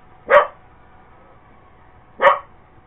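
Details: Purebred Cocker Spaniel chasing a Roomba robot vacuum, two short, sharp barks nearly two seconds apart against a quiet indoor background.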